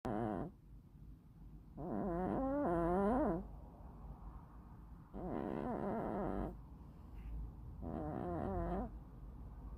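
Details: Sleeping hachiware (black-and-white bicolor) cat snoring. Rough, wavering breath-noises come in bursts about every three seconds, with quieter pauses between them.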